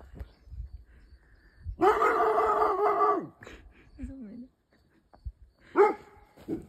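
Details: Rhodesian Ridgeback scared of a scarecrow gives a long, strained, harmonic howl-like bark lasting over a second, followed by a short whine and a sharp yelp; brief background sounds between.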